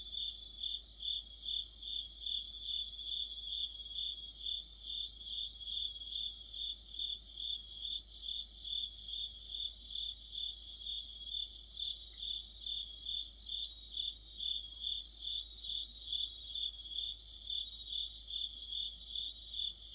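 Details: Crickets and fellow insects in full autumn chorus by a streetlight, a sustained high shrill band pulsing evenly about twice per second, with repeated runs of fast staccato trills joining in at intervals.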